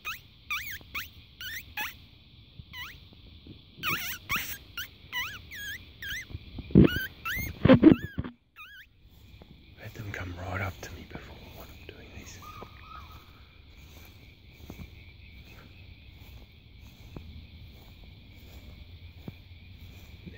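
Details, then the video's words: Fox barking at night, caught in a spotlight outdoors: a run of sharp, bending, high-pitched barks over the first eight seconds, then handling noise and a quieter stretch with a faint steady background hum. "Barking Fox"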